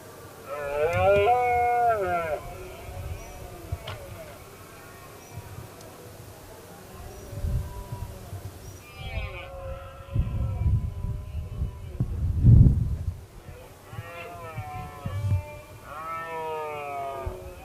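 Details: Roaring red deer in the 2016 rut, a dominant stag challenged by another male; several strong, rising-then-falling bellows at the start and again near the end, separated by loud low thumps and rumbling handling or wind noise.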